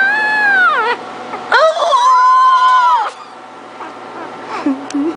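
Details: Ginger, a female three-week-old Pucker puppy (Pug and Cocker Spaniel mix), howling: drawn-out high wavering cries that rise and fall, a long one, then a second, then a short low whimper near the end, indoors.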